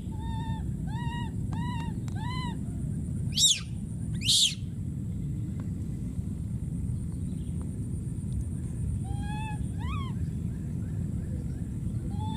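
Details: Wild baby monkey calling for his friend: rows of short arched, tonal cries in quick bursts, broken by two piercing high screams near the middle, then more arched cries, over a steady low rumble.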